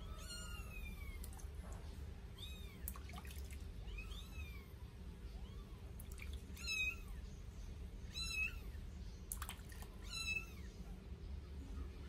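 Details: Newborn Sphynx kittens, eight days old, mew shrilly while bathed for the first time. Quick rising-falling squeaks come in clusters, some overlapping, with trickling water and faint splashes throughout.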